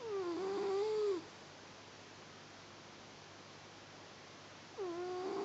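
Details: Sleeping house cat snoring, a nasal whistling note that wavers then dips, about a second long, returning roughly four seconds later in a quiet room.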